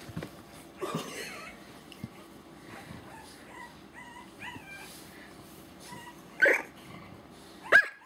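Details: Mr. Orange, a three-week-old French Bulldog puppy, wants to be picked up. He gives a few faint whimpers that rise and fall and some short yips. Sharp knocks and clicks come between them.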